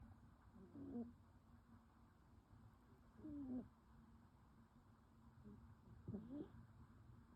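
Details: Two kittens, Liz and Lou, asleep curled up together on a sofa on a quiet night; very soft, low snoring breaths sound three times, each a few seconds apart, over faint steady hum.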